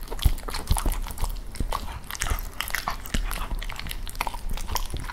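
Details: A Cavalier King Charles Spaniel eats raw chicken, chewing noisily with wet crunches and sharp bites every half second or so, close up in a small room.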